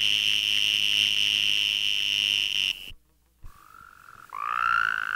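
Western Green Toad mating call, a high, steady buzzing trill, then the same call slowed to half speed.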